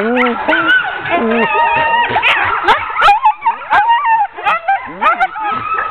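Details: A ten-dog sled team being harnessed for a training run, 16 October 2010; low moaning whines at first give way to a crowded din of rising yelps, wavering howls and clipped barks from many dogs.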